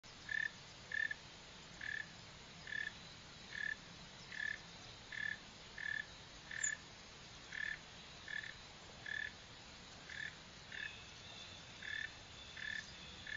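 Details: A northern mole cricket (Neocurtilla hexadactyla) gives short, low chirps at a steady rhythm, nearly two each second.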